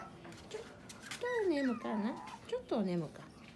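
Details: Affectionate female French Bulldog puppy gives several whining cries that slide downward in pitch: a brief high note, then two longer drawn-out whines, with only faint background noise.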